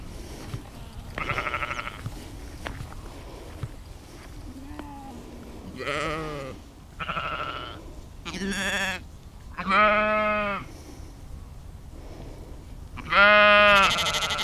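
Sheep bleat in wavering, nasal calls, several voices answering one another at irregular intervals.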